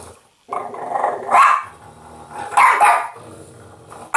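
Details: A pet French Bulldog indoors, growling and barking while it play-fights an interactive talking Yoda toy. Throaty, rumbling growls swell into short, rough bark-like bursts two or three times over a few seconds.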